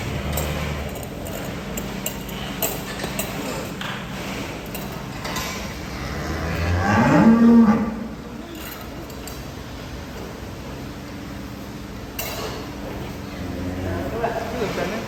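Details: Agitated cattle that broke loose from its pen and sank into sucking mud. One loud, drawn-out low moo swells near the middle, set against steady noise and clattering, with people's voices around.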